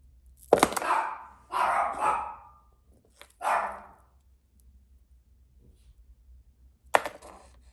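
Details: A pet dog barking indoors: four short, rough barks, the middle two drawn out and doubled, with pauses between and a final sharp bark near the end.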